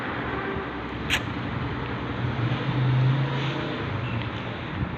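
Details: Low, steady engine and traffic hum with one sharp click and a brief swelling rumble, without any animal voice.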